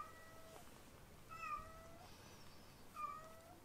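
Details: Three short, high-pitched kitten meows, each a brief falling whistle-like cry, come about one and a half seconds apart from foster kittens Ashiro and Akuro. Faint indoor background hum.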